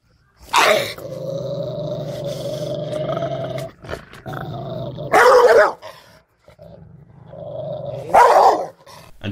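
A Rottweiler growls low and steadily, breaking the rumble with sharp, explosive barks.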